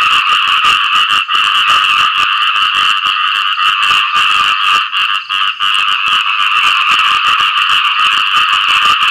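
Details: Frogs calling for mates after rain: a dense, continuous chorus of rapid rasping croaks that blend into a steady bright buzz with no pauses.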